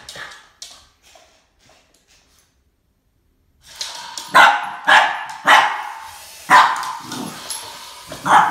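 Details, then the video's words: Boston Terrier Max facing off against a snake; faint sounds at first, then after a few seconds a run of forceful barks roughly every half second to second. "BOSTON TERRIER MAX Vs SNAKE ~ There can only be one boss"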